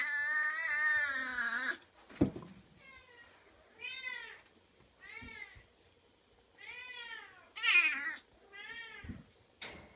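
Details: Oriental shorthair kitten giving a rapid series of meows, first a long drawn-out one, then shorter arched mews about once a second, with a couple of sharp knocks between calls.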